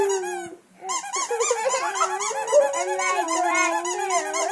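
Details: A Boxer dog singing in response to a squeaky toy indoors: sustained wavering howl with rich harmonics, tones gliding and wobbling continuously, mixed with the toy's repeated high squeaks throughout.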